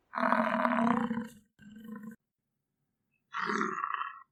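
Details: American bison (Bison bison) gives deep, rough, roaring bellows, three drawn-out bursts separated by short pauses.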